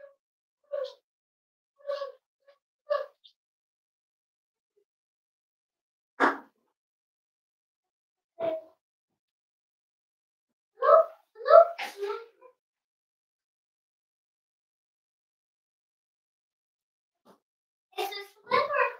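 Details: Cavalier King Charles Spaniel puppies almost 8 weeks old, kept indoors in a family home litter, giving short harmonic yips in scattered bursts, a few isolated squeaks between, long quiet gaps and a faint room background.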